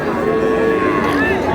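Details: Sahiwal cows and calves for sale at Ambari market, Dinajpur, on a Friday in February 2026; a short, slightly gliding lowing note carries over continuous crowd noise and nearby talking.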